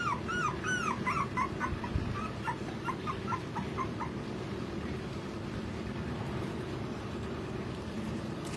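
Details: Pomeranian puppies, male and female, giving a rapid run of thin, arching whimpers and yips during the first four seconds, then a few fainter squeaks that fade out over a steady low rumbling background.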